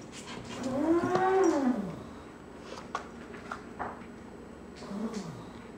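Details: Foster kittens jumping over a cardboard wall to escape their play area indoors, watched by a golden retriever: one loud, drawn-out meow rises then falls, followed by a short lower mew near the end, with light knocks and scrabbling.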